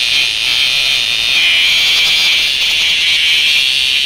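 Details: Tonggeret cicada held in a child's hand so it sounds, a loud, steady, high buzzing drone that swells slightly midway and holds unbroken throughout, with no voices over it.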